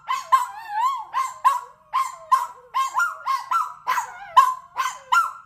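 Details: Dogs in a barking contest, a rescue dog among them: steady run of short, sharp barks about twice per second, some with a bending, howl-like yelp, loud and close.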